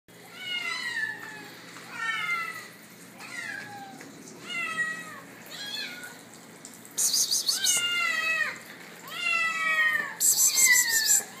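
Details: Bengal kittens, 81 days old, being offered food: repeated high, falling meows from several kittens, many overlapping in quick runs, with bursts of rattling noise and a woman's voice coaxing them to eat.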